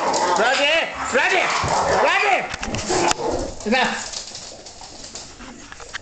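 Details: Bull Terrier bitch and her pups play fighting. A pup bites her face and she retaliates. Three or four arching, high whining yelps come within two seconds, followed by scuffling and quieter noises.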